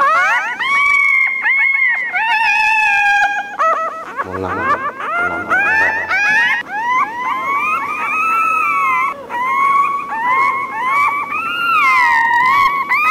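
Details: Puppy whining and crying, a sound that attracts other dogs' attention: a long run of high, harmonic whines, steady at first, then wavering and swooping up and down in overlapping cries, with a brief low rumble near the middle.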